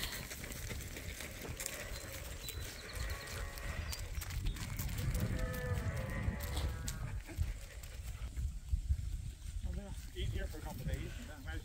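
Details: Sheep on a farm on a spring morning, with rams and ewes being let out to fresh pasture for the first time this year. Wavering bleats rise and fall in the middle, mixed with a man's voice calling and low rustling, thumping farmyard noise.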